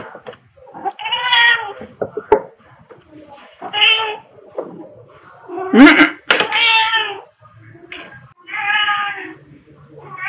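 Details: Pepper, a black cat, and Kofi, a tabby cat, playing with fluffy toys at home, March 2021; repeated rich, harmonic meows roughly every two to three seconds, with a sharp knock in between.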